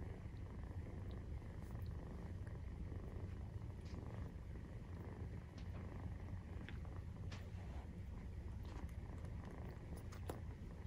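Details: Maine Coon cat family at nursing time, kittens 43 days old, purring; low, constant throbbing drone without pauses, scattered small clicks and shuffling on top.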